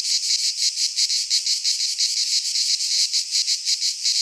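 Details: In midsummer in Greece, cicadas fill a pine forest with a shrill sizzling buzz pulsing about three times a second, steady and loud, one faint click near the end.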